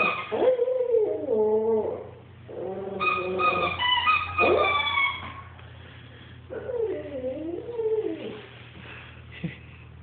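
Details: Albino female Shih Tzu playing with a toy whose sound hurts her ears: high wavering whimpering cries that bend up and down, together with steady tonal squeaks in the middle, then more whining toward the end.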